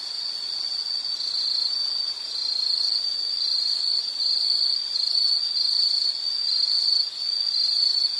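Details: Steady high-pitched insect trill, a shrill continuous buzz in a nature setting that briefly dips in loudness around two and seven seconds, otherwise unbroken, with no other clear sounds.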